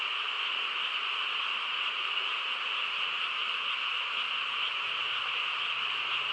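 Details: Frogs chorusing on a quiet countryside night: a dense, unbroken wash of overlapping trilling croaks holding steady at a mid-to-high pitch, with no other clear sounds.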